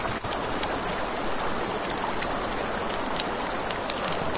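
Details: High, rhythmic cricket chirping at night near a river, the pulsed trill throbbing quickly and evenly, mixed with crackling flames and a wash of flowing water.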